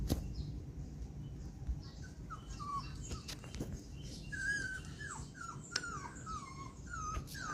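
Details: Poodle puppy jumping out of a box, giving a run of soft, high whimpers, each sliding downward, repeated several times in quick succession, among rustling and light clicking noises.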